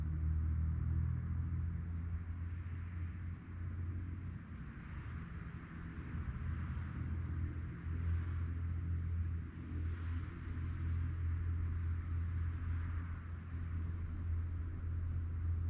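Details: Crickets chirping at night: a steady, finely pulsed high trill runs unbroken under a heavy low rumble like a distant engine.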